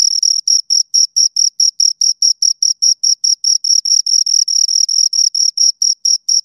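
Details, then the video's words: High, bright chirping from two crickets, a regular train of short pulsed chirps about two and a half per second, steady in loudness throughout, nothing else audible. "Two Crickets Chirp Sounds"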